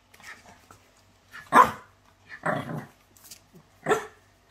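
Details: French Bulldog in a compilation of pet dogs, giving three short, sharp barks spaced about a second apart, each a rough burst, with faint quiet sounds between them.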